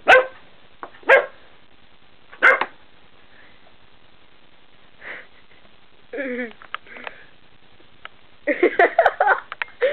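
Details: A puppy, suddenly angered while playing, gives short sharp barks near the start, then a growly yelp around six seconds and a burst of rapid yapping and snarling at the end, indoors with quiet gaps between.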